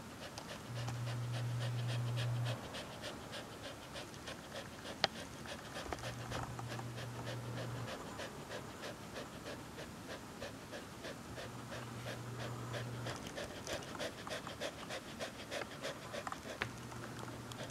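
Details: Hana, a Corgi, asleep on a summer day, breathing in fast, even pants about three times a second; a soft broadband rasp with no voice or other animals.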